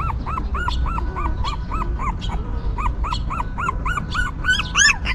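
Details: Rapid arched squeals from newborn puppies cared for by a stray mother dog, evenly spaced cries that grow louder and shriller toward the end, a low droning hum underneath.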